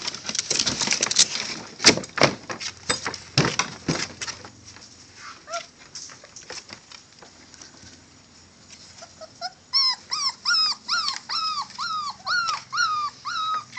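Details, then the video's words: Male Catahoula bulldog puppies: after several seconds of clattering and rustling, a run of high arched whines begins, repeated quickly and fairly evenly toward the end. "Catahoula bulldog puppies males"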